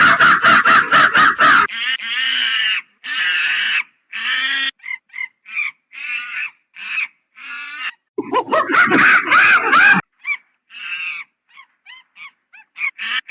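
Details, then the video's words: Monkey giving a loud, rapidly pulsed screech, then a run of separate harsh, raspy bursts, a second long pulsed screaming spell midway, and short squeaky chatters toward the end. "Monkey Funny Sound"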